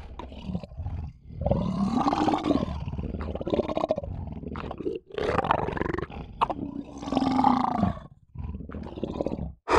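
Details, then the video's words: Lion roaring in a series of long, hoarse, rising-and-falling bellows, each lasting a second or two and separated by brief gaps, with rich low harmonics. "lion sounds"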